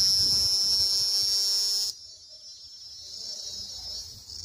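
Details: Cicada singing, a steady shrill buzz high in pitch that stops abruptly after about two seconds, leaving a fainter hiss and low background rumble.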